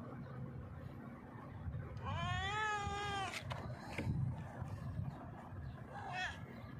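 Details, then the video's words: Loud meowing from a hungry stray cat sitting on a rock and asking for food: one long, wavering meow lasting over a second, then a short, fainter meow later, over low rumbling noise. "hungry stray cat sitting on the rock meowing loudly asks me for food."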